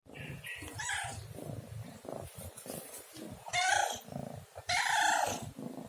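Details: Pet domestic cat meowing: a few soft, short mews early on, then two louder drawn-out meows near the end, each lasting about half a second, over low indoor rumble and handling noise.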